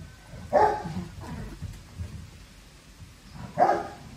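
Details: Staffordshire Bull Terrier puppies, littermates of the weakest of a litter of eight, which has just died; two short high yelps about three seconds apart over a quiet indoor background.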